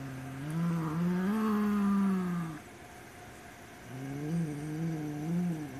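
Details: White Siamese cat guarding a black toy rat it does not want to share; two long, low, moaning growls with wavering pitch, the first lasting over two seconds, the second rising and falling after a short pause.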